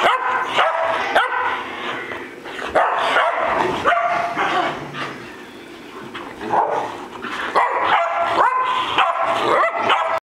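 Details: Three pet dogs, Bocephus, Kelsie and Vinny, roughhousing: busy stretches of barking and squeaky yips, a softer growling lull in the middle, then renewed quick, high-pitched yelps and barks.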